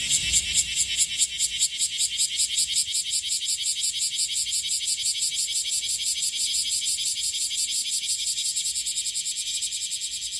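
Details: Bear cicada, Cryptotympana facialis, singing in Okinawa, Japan, during its June-to-August season: a loud, dense, pulsing buzz high in pitch, throbbing rapidly and steadily throughout, with a faint low rumble beneath.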